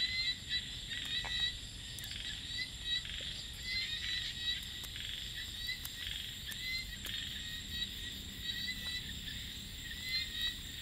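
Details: Small frogs calling at night in rice fields: short clicking pulses come in quick bursts, loudest in the first seconds, over a steady high shrill drone of insects.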